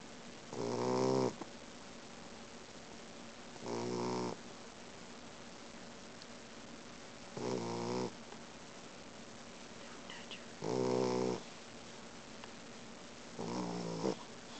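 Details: Boxer puppy snoring loudly while sleeping indoors. Five buzzy, harmonic snores come in bursts about every three seconds, each lasting under a second, with steady low room hiss between them.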